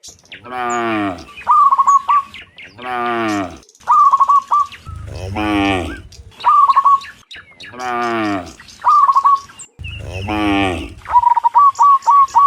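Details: Dozens of cows mooing in the morning as they return from the field to the pen: long, deep harmonic moos roughly every two seconds, each followed by a short, bright, trilled bird chirp.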